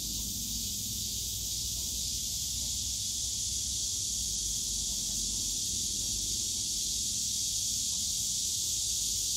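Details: Cicadas in the bamboo grove of Yongsan Family Park, Seoul, on a summer day: a dense, unbroken high hiss-like drone holding steady throughout, with faint low park rumble beneath.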